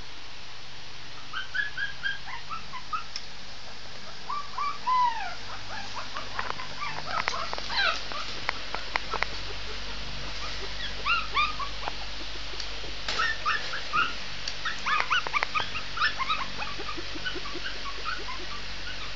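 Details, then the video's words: A Shih Tzu puppy in a howling fit, its voice bending in curved, whistle-like whines that rise and drop, interleaved with quick yips and a few sharp knocks against a low hum. "howling cute shih tzu puppy.."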